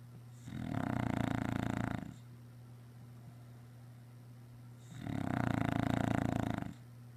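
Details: An English Bulldog snores in long, rumbling breaths with quiet pauses between, after a busy day running around outside.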